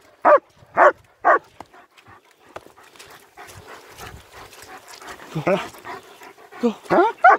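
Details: German Shepherds Nico and Zeeva on a winter wander near Hawick, Scotland, recorded on an S23 Ultra: three sharp barks at the start, then rustling and a person talking, with a few more barks near the end.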